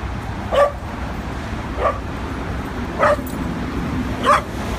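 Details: Adopted dog at its first visit to a New York City dog park on the west side, 22nd to 24th Street, running around in play; four short sharp barks about every 1.2 seconds over steady city traffic rumble.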